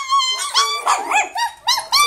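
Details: Miniature Schnauzer-poodle-Chihuahua mix pups giving rapid, high-pitched yapping barks and whiny yelps, about six sharp bursts in two seconds.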